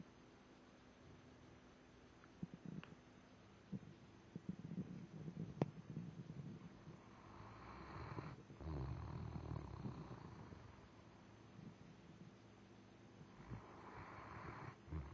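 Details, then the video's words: Tired after a long weekend, Daisy the dog snores deeply: low, rumbling breaths swell into long raspy snores, one lasting about two seconds midway and another building toward the end, with a few faint taps before. "snoring daisy"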